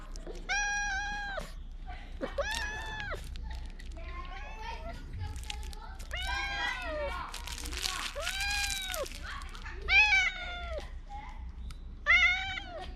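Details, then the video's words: Talkative stray cat in Bise's Fukugi tree avenue, Okinawa, loudly voicing something, filmed with a GoPro 9; a rapid series of about eight arched, whining meows of varying length, some overlapping softer murmuring sounds. "備瀬のフクギ並木で見た大声で何かを訴える猫-cat that tells something loudly in a bise lined tree"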